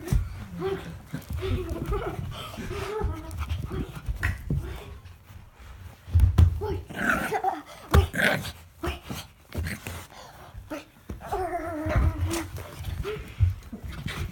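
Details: Wicket, a pet Brussels Griffon indoors, reacting to a person wearing a gorilla mask: a run of throaty growling and whiny, wavering vocal bursts with strong harmonics, broken by thumps, clicks and scuffling, with human voices mixed in.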